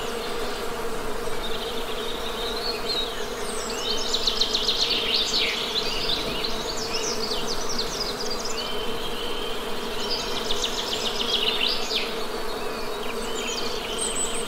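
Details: Honey bee buzzing heard as a steady, low droning hum with layered overtones that swells slightly midway, while bright, rapid bird chirps and trills flutter above throughout.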